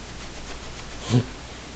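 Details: Ricky, a seven-month-old miniature long-haired dachshund puppy, trying to get attention and wanting to play; a single short, loud bark-like yelp in a quiet indoor room.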